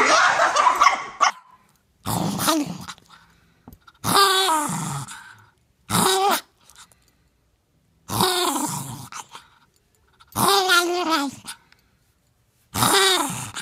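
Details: Poodle puppy named Spike giving about six short, harmonic whining and grumbling vocal bursts, each sliding down then up in pitch, separated by brief silences; a woman's cooing voice praises the dog between sounds.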